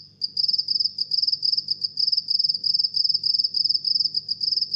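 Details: Steady run of house cricket chirps, sharp high-pitched pulse groups following one another roughly every third of a second, with a soft low hum underneath.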